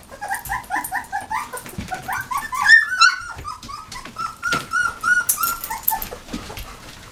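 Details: Squeaking from puppies aged nineteen days: quick short whimpers, several per second, with some drawn-out rising and falling whines in the middle and more than one pup calling at once.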